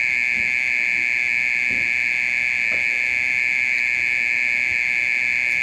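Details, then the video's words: Mole cricket calling through the night: a loud, sustained, electric-sounding high buzz on a single steady note, with faint low rustles underneath. "オケラの鳴き声 30分以上鳴いてる"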